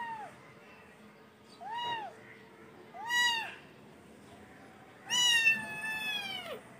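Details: Kitten meowing indoors: three short arched mews about a second apart, then a longer, louder drawn-out meow with rich harmonics, over quiet background hum.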